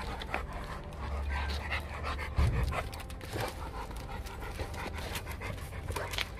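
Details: Heavy rhythmic panting from XL American Bully dogs, a group of three males including Bokito and his father Magnum, on a walk while Bokito acts dominant toward Magnum. Quick breathy bursts over steady low rumble, with one louder thump midway.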